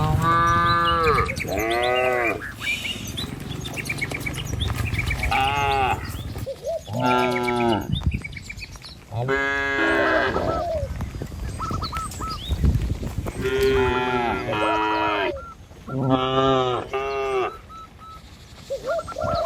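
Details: Herd of cattle walking calmly along a village road toward the pen, surrounded by trees and rice fields: repeated lowing, about eight moos of varying length, some overlapping, with low rumbling between calls.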